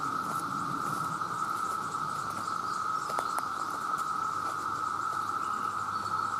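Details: Male cicadas calling in their millions to draw mates: an even, persistent buzzing drone, with occasional clicks and light tapping sounds in the foreground.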